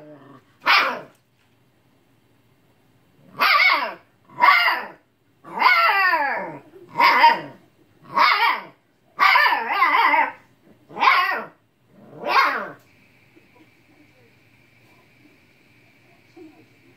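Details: Siberian Husky puppy barking at an old cat because the cat will not play; about nine loud, harmonic barks and yowling howls in irregular bursts, some long and wavering, followed by a steady faint tone at the end.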